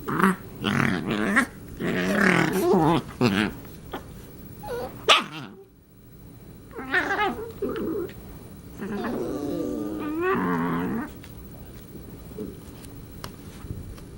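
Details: Marvin and Darla, two cats at play, with Darla making strange alien-sounding noises: loud rough growling bursts, then wavering, warbled yowls that rise and fall, with pauses and a faint room hum.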